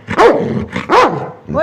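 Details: Dog barking twice, each a loud, arched bark with rich harmonics about three-quarters of a second apart, followed by a brief rising whine-like sound, with a person speaking Telugu close by.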